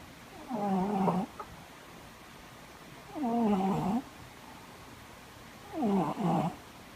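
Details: Cat snoring loudly: three drawn-out, rough, tonal snores of under a second each, spaced roughly every two and a half seconds, with quiet pauses between breaths.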